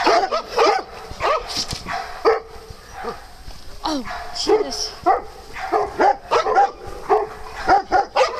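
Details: Dogs at playtime on a farm where cats also live, giving quick overlapping barks and yips several times a second, with a person talking over them.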